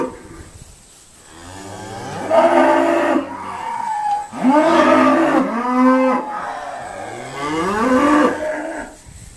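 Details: Irish Dexter cattle being sorted at Stone Meadow Farm give repeated deep moos, about five loud wavering bellows following one another over nine seconds, some overlapping, with a faint steady hum behind.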